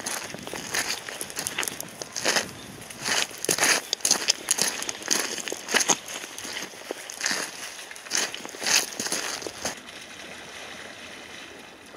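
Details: Crunching footsteps on dry leaves or gravel outdoors, with no clear animal voice. The steps come in uneven bursts over a faint background hiss.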